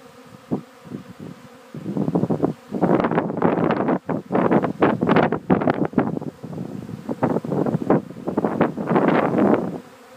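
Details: Swarm of honey bees taking off again late in the afternoon after swarming the day before, a dense low buzzing hum pulsing in loud waves, with some wind rustle.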